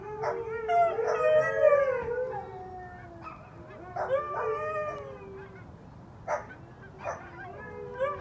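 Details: Four huskies and a Pomeranian sound off: a burst of sliding howls at the start, then shorter separate howls and yips spaced through the remaining seconds with quieter gaps between.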